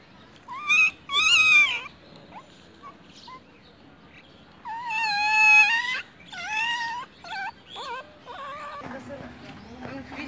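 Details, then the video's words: Newborn puppies, four found by a roadside with their mother nearby, give high, wavering whines and cries in short bursts with pauses between, the calls gradually softening toward the end; faint background noise throughout. "New Born Puppies"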